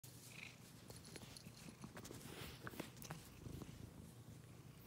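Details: Domestic cat purring: a low, steady rumble with faint scattered clicks and rustles above it.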